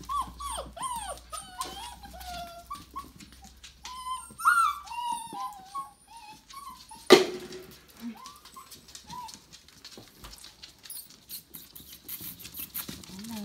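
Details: A litter of Tamaskan puppies at five weeks old whimpers in a quick series of arched, squeaky yelps for the first five seconds, then a sharp thump, scattered softer whines, and rustling toward the end.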